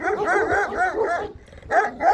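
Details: Kangal dogs from a breeder in Şarkışla, Sivas, Turkey: a run of deep, harmonic barks in quick succession, with a short pause before two more barks, while a man nearby calls out encouragingly.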